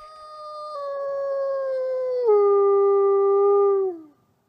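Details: Captive-born Arctic gray wolf, an ambassador wolf at a wolf conservation center in South Salem, New York, gives a single long clear howl, steady then stepping down in pitch midway and sliding lower before fading out after about four seconds; no other sounds.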